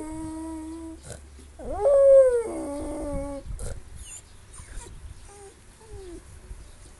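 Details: Pet dog making funny noises: a level nasal whine, then a sharp upward-swooping howl that slowly sinks and breaks lower, followed by quiet, faint whimpers trailing off.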